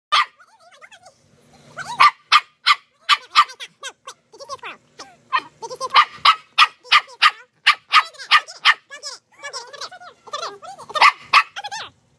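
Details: Dog fixated on a squirrel, August 2022, giving rapid high-pitched yelping barks in quick bursts, some squeaky and whiny, roughly three per second with short pauses.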